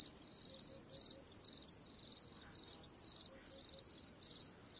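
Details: Close, loud cricket chirps: piercing high trilled bursts, roughly two per second, evenly spaced against faint background noise.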